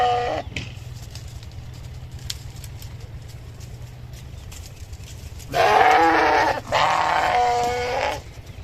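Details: Sheep bleating, filmed as a cute noise for kids: after a long quiet stretch with low rumbling background, two loud harmonic bleats of about a second each near the end.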